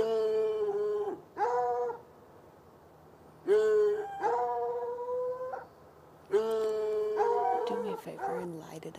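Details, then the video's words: Saturday night near an irrigation ditch: two chained hounds, one white and one dark, call from a bushy lot by a red outbuilding about 10 yards off. Long wavering bays repeat roughly every three seconds, overlapping and rougher at the end. "Barking dogs"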